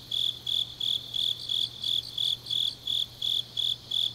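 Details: Autumn night chorus of grass insects recorded in Changnyeong, South Gyeongsang, Korea; shrill high-pitched trills come in regular short bursts roughly every third of a second over a soft constant low drone.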